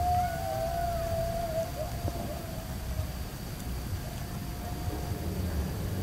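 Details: Coyote at night in eastern Oklahoma, recorded while camping in 2021 or 2022: a long, steady, mid-pitched wavering howl-like tone that bends slightly before fading. A fainter higher note slides in near the start, over constant low rumble.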